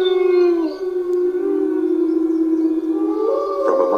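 A wolf gives a long, steady howl that dips slightly, then climbs as a second voice joins.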